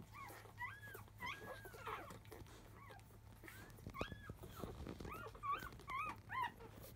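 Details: Newborn Labrador Retriever pups, five days old, from a field-line litter of champion Biscuit, squealing during an early-afternoon feed: scattered arched whines rising then dropping, some longer drawn-out cries, with rustling and a low background hum.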